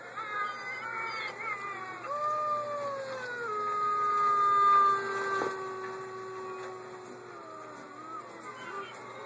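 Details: Gray wolves (Canis lupus) howl together in long, smooth, sustained tones that slide slowly up and down.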